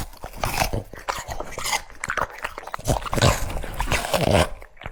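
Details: French Bulldog munching cucumber pieces, loud close bites and crackling crunches in uneven runs, with soft smacking between them in a small indoor space.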